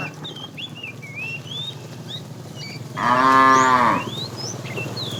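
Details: A fat cow among a tame herd being herded in the afternoon calls the female with one strong, one-second harmonic moo after a stretch of busy bird chirping, which carries on behind it.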